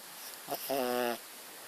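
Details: Muffin, a pet dog, snoring while asleep indoors, a noise likened to a plane taking off at an airport: one brief soft breath, then a steady low voiced snore with stacked harmonics lasting about half a second, in a quiet room.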